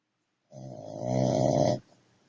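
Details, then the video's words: A dog snoring indoors, one long rasping snore lasting just over a second, building in loudness before stopping abruptly, rough and throaty with strong low rumbling tones. "Здоровый собачий храп"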